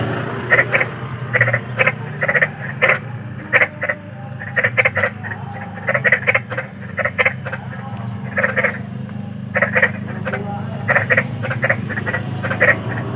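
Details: Big frogs calling in the wild at night, offered as bedtime sleep sound: short harsh croaks in quick bursts of two or three, repeated through the clip over a steady low background hum.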